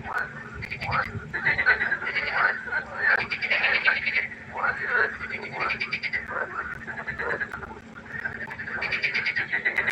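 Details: Several frogs calling at night by the pond, their rattling, pulsed croaks overlapping in irregular bursts that rise and fall across the stretch, over a steady low background hum.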